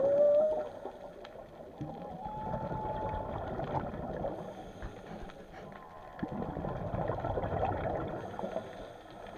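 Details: Undersea whale vocalisations: a brief rising tone opens, followed by a long level whistled note lasting over a second, set against continuous watery hiss and low rumble.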